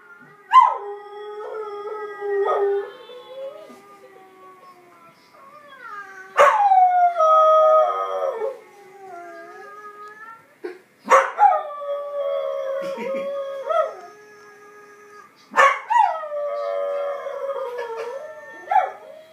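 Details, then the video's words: Kelpie named Mira, a pet dog, howling in four separate bouts spaced roughly five seconds apart, each opening with a sharp high onset then sliding down into long wavering harmonic tones that fade out. "Our beautiful Kelpie Mira howling"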